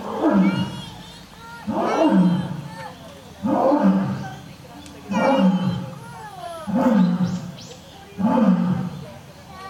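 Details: Oto, Japan's oldest lion, kept at Nonhoi Park, Toyohashi Zoo, roaring: six deep, grunting roar pulses about every 1.5 seconds, each swelling then fading, with faint voices of onlookers in between.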